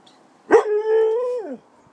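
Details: Pet dog asking for his dinner, giving one drawn-out tonal whine-howl lasting about a second, steady then sliding down at the end, in a quiet room.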